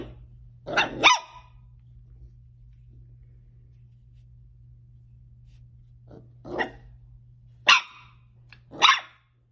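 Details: Dachshund puppies at play: a quick pair of sharp, broadband barks near the start, then near silence, then three more separate barks toward the end over a steady low hum.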